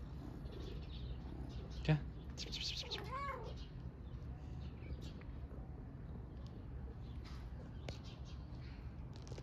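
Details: Homeless mother cat and kitten on the streets of Istanbul seeking affection; one short, arched meow near the middle, with scattered clicks and rustles, soft human talk and a steady low hum behind.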